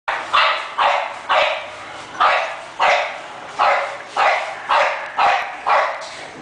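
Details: English Bulldog, likely a puppy from a breeder: a run of about eight sharp barks, fairly regular at roughly two per second, each short and bright with strong mid-range energy, in a quiet room.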